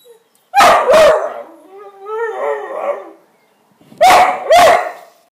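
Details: Pet whippet, male, two years old, playing with a broom: a loud double bark flows into a long, warbling, moaning whine, followed after a short pause by another forceful double bark.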